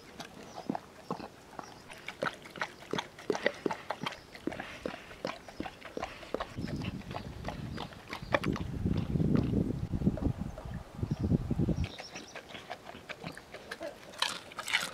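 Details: A Weimaraner eating a raw-food meal chews noisily, with irregular wet crunches, clicks and smacking of the jaws.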